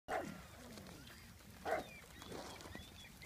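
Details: Pug barking at a rock: three short, rough barks spaced unevenly over about three seconds, with faint background noise between them.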